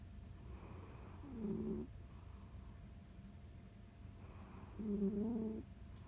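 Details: Jiji the pet cat snores while kneading, producing two short raspy, tonal breaths about three seconds apart over a faint low hum.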